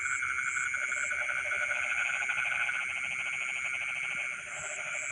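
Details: Night chorus of frogs in rice fields, dense fast pulsed calls running almost continuously, layered with a constant shrill insect hum and intermittent high chirping, fading slightly near the end.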